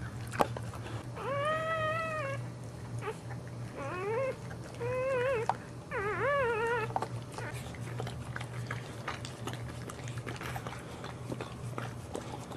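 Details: A Boxer mother named JuneBug gives birth indoors to the second of four puppies, delivered while standing. Four clear, wavering whimpers rise and fall across a few seconds, then quieter rustling and a constant low room hum.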